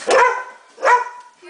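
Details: Pit bull, a pet dog, giving two short, sharp, harmonic-rich barks spaced under a second apart, with a person talking to it nearby.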